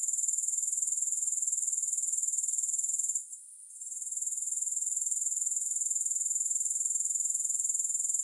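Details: High, dry buzzing trill of grasshoppers with no music, pulsing regularly about four times a second; a short lull near three seconds interrupts it before the steady chirring returns.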